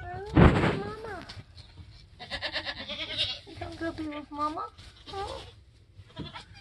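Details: Bleats from a Nigerian Dwarf goat giving birth on a homestead: a sharp thump opens, then several strained, wavering calls of rising and falling pitch, with a person talking.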